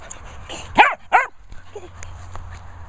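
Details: Hugo, a Patterdale Terrier, urged to fetch a squeaky toy, gives two short, sharp yips a fraction of a second apart, each rising then falling in pitch, followed by quieter background noise.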